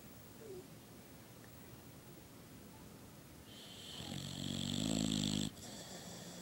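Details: Sleeping female Boxer dog with a flat, pushed-in nose snoring: after about four seconds of quiet room hiss, one loud, rough, rattling snore lasts about a second and a half, with a harsh hissing edge, then stops abruptly.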